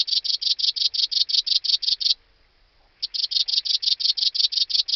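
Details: Bicolour meadow bush-cricket recorded at Breitenbrunn, Austria, on 13 July 2020, singing a fast run of high, dry buzzing pulses, about three per second. The pulses stop for roughly a second, then resume at the same steady rhythm, with a quiet background.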